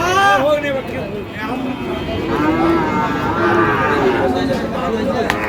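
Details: Sahiwal bull calves at the Ambari cattle market in Dinajpur, Bangladesh, on the first day of Ramadan 2025. Drawn-out moos with wavering tones sound repeatedly, overlapping one another, while people talk and bargain close by.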